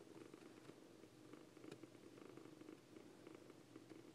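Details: Siamese foster kittens Coco and Lache: a steady, low, pulsing purr, soft and continuous from start to end, with faint rustling indoors.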